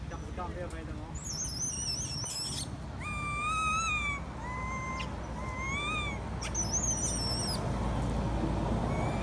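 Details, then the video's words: Baby monkey at Angkor, possibly unwell, crying loudly for its mother to nurse her: a run of high, thin whistled cries that bend up and then down, about six in quick succession, over rustling background noise. "Poor baby monkey crying implore mother comes taking care and nursing her"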